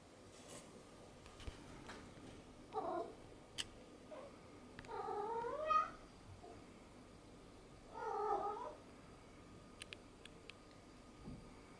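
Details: Domestic cat playing with a sponge cube indoors gives three drawn-out wavering meows around the middle of the recording, with scattered clicks and light handling noises in a quiet room.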